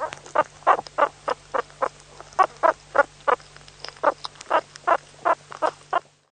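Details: Meerkat (Suricata suricatta) repeating a brisk, scratchy chirp about three times per second for six seconds, then falling silent. A low constant hum runs behind the calls.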